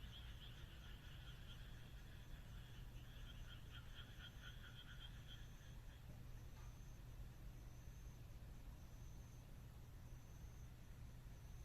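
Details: Moonlit countryside night in Japan with frogs giving fast, pulsed rattling calls for the first six seconds, then falling silent, leaving a low constant rumble and a thin high insect trill pulsing regularly.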